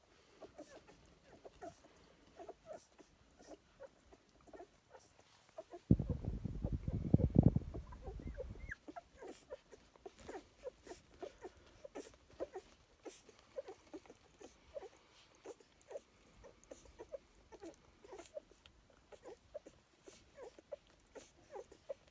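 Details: Puppies at feeding time give short, high squeaking whimpers, about three a second, steady through the recording. A loud rustling, handling burst briefly covers them around the middle.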